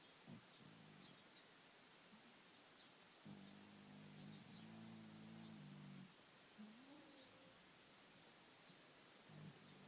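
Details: Sleeping pet cat snoring and purring, with a long, steady, low rumbling purr in the middle, shorter throaty breaths before and after, and one soft rising whistle-like wheeze on a quiet background.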